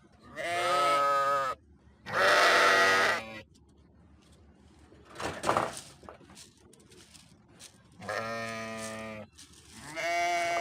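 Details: Sheep bleating loudly in four strong harmonic cries, two early and two late, with a rough noisy burst and soft rustling in the quieter middle stretch.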